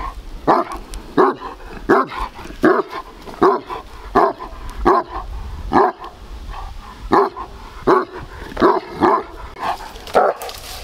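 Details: Large Bucovina Shepherd Dog with a powerful temperament, filmed in 2021, barking: deep, loud woofs repeated roughly every 0.7 seconds, about fourteen in a steady run, with short pauses between bursts and faint background noise.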